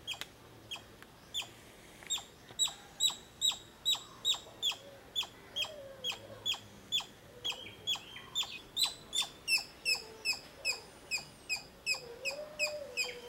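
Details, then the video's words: Long, steady run of sharp squirrel chips, roughly two or three per second, growing slightly louder midway, while low wavering bird whistles sound faintly behind. "Squirrel sounds video"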